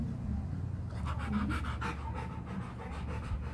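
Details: Rottweiler resting outdoors with its owner instead of in the air-conditioned house, panting in quick breathy bursts about three per second after a quiet opening second; low steady hum underneath, a man talking and praising the dog nearby.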